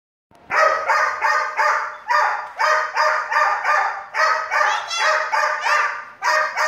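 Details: A dog barking in a fast, steady series of about a dozen short, harmonic-rich barks spaced roughly half a second apart, with no other sounds.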